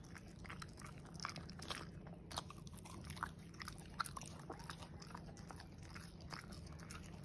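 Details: A corgi eating steak indoors in a small room: steady wet chewing and biting, with sharp crunchy clicks scattered through the clip over a low constant hum.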